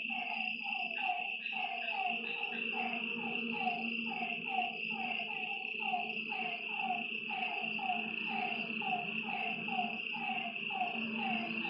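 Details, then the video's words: Lakeside frogs at night giving a regular stream of brief falling calls, some overlapping, about two per second, set against a constant shrill insect drone and a faint low buzz. "Lakeside night creatures and frog sounds"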